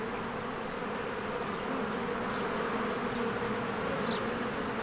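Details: Honeybees flying in and out of their hive in spring among blooming flowers: a dense, steady droning hum with a low, even pitch, continuous throughout, plus one faint high bird chirp near the end.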